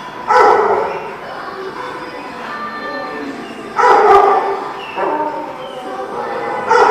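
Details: Dog barking, recorded 2/5/18: three loud, rough barks spaced about three seconds apart, each a short burst with a brief tail, over a steady background murmur.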